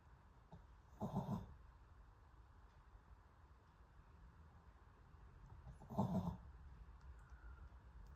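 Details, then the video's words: A sleeping dog snoring quietly: two short, breathy, rasping bursts about five seconds apart, each under half a second, over a soft low hum in an otherwise still room. "Dog sleeping time SNORING"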